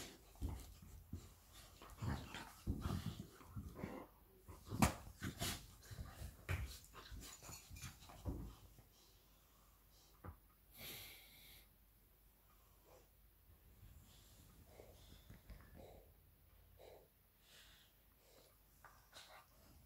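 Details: Labrador Retriever mother Lilly plays with puppy Molly. Dense low grumbles, huffs and clicking knocks fill the first half, then fade to soft, sparse scuffles and faint breathing in a small room.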